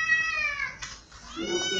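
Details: A domestic cat meows twice: a long harmonic-rich cry falling gently and fading, a short quiet pause, then a second rising, nasal meow.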